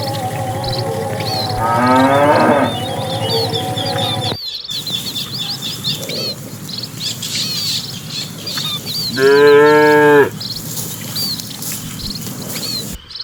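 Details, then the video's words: Cattle herded by a herdsman into their pen as evening arrives, dozens of animals entering; two long, deep, harmonic moos, the second louder and steady for about a second, over constant high chirping of small birds and a low rumble. "Suara puluhan sapi saat memasuki kandang"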